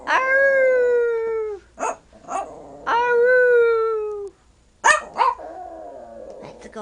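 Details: Nanook, a 12-year-old five-pound Yorkshire Terrier, sings when asked: two long, gradually falling howls, each over a second, separated by short sharp yips, ending in a wavering whine, with music and coaxing speech behind.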